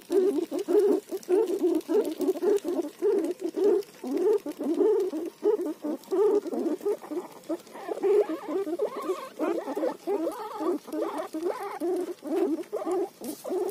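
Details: While eating roti, a guinea pig repeats low, throaty pulsed notes in quick succession, roughly two per second, steady for the whole stretch with soft clicks between.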